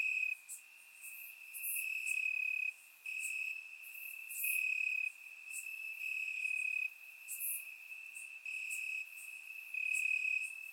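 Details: Warm summer night in Bulgaria, crickets in the grass caught by a surround microphone: a continuous shrill ringing tone broken into louder pulsing stretches lasting one to two seconds, separated by short quieter gaps, with bright clicking accents above.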